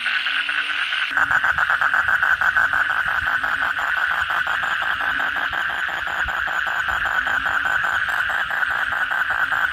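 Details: Frogs, kodok bangkong, calling after a heavy night rain. A rapid train of rattling pulses, several per second, rides over a constant dense chorus and an intermittent low humming tone.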